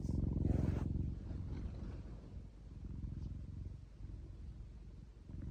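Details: Pet cat stroked on the paw purrs in a dense, even, low vibrating rumble, louder at the start and then quieter and steady.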